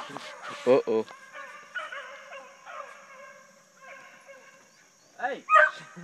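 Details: Hunting dogs running deer during a deer hunt, giving long, drawn-out harmonic bays and howls that overlap from several voices. Loud bursts come near the start and again at the end, with a steady high whine running underneath.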